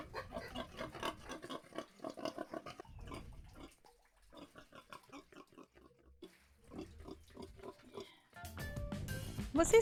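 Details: Domestic pig giving rapid, pulsed grunts in quick trains broken by short pauses for about eight seconds. Music swells in at the end.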